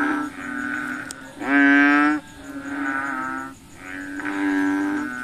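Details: Several frogs call after dark, hunting mosquitoes, giving hollow, droning notes like a short didgeridoo blast, one nearer caller loudest, others answering softer, over a thin steady high hum.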